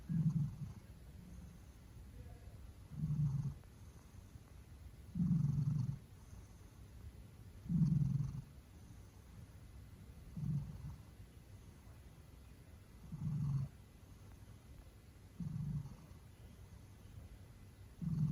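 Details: A Maine Coon pet cat snoring loudly: deep, low rumbling breaths in steady bursts roughly every two and a half seconds, each lasting under a second, with quiet pauses between and faint room hiss.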